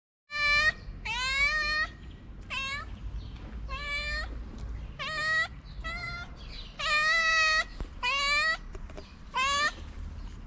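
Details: Calico cat, a street cat in Morocco, asking for love and food: a run of about ten clear, harmonic meows, each under a second, some short and some drawn out with a slight rise, over low background rumble.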